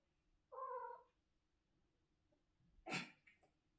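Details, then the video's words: Pet cat meowing in the morning: one drawn-out wavering meow, then after a pause a sharp louder burst, with faint room hum beneath. "Good meowning in the morning!"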